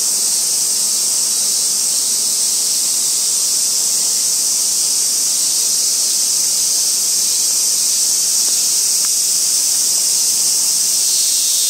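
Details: Robust cicada on a tree trunk in a small park in Kitano, Japan, recorded in August. A steady, high-pitched electric buzz carries through with slight irregular pulsing and a few faint ticks near the end.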